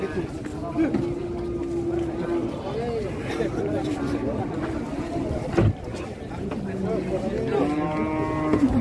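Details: Large cattle in Indonesia, estimated at seven to eight hundred in weight, being loaded, low drawn moos amid crowd chatter and handling noise, with a clearer rising moo near the end.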